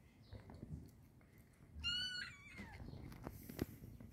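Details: Cats eating salami; about halfway through, one brief, high, harmonic-rich meow rises out of quiet room noise, with soft rustling and chewing clicks before and after.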